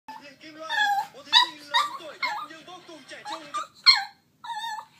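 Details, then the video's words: Turbo, a pet dog, whines for his toy in a run of high, wavering whimpers and short yips that slide up and down, with a quieter low voice underneath. "TURBO Wants His Toy So Bad"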